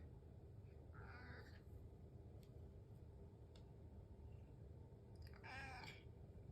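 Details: A pet cat at home, waiting for breakfast in the morning, utters two plaintive, wavering meows about four seconds apart, the second longer and louder, against low room hum.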